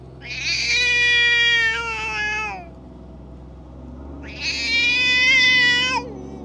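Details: Aggressive stray cat venting on other cats: two long harsh wailing yowls, each over two seconds, separated by a short pause, above a low hum.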